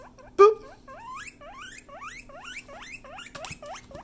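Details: A guinea pig gives quick, upward-sliding whistled wheeks, roughly three per second, loud and insistent. A sharp thump sounds at the start, over a faint steady background hum.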